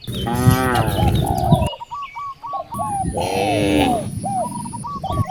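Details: Hungry cows in a village near wide rice fields give long, low, drawn-out moos, two in a row, while small birds keep up quick, repeated chirping notes in the background.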